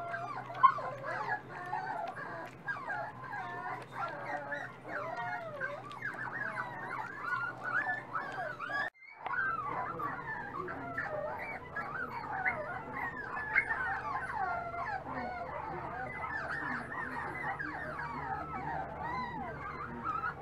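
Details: Dachshund puppies, eating more every day, whine and whimper in a dense overlapping chorus of wavering, squealing cries that run almost without pause for twenty seconds, broken by a brief silence near nine seconds, over a low steady hum.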